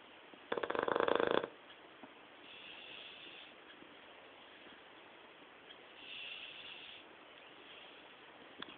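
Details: Hugo, a pet dog, snoring while asleep: one loud rough snort near the start, then two soft breathy hisses drawn out about three seconds apart against a quiet background hum.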